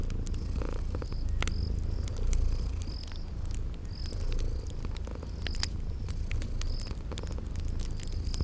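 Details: Cute sleeping kitties purr beside a crackling fireplace amid spring garden ambience; a deep continuous rumble pulses gently, overlaid by crisp snaps of burning wood and regular high chirping like crickets.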